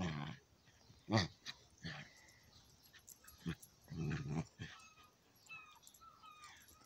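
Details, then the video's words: Chihuahua and old dog at play: a sharp yelp-bark, a few short grunts, then a longer harmonic growling bark, with soft scuffles between and faint rising chirps in the background. "chihuahua and old dog playing"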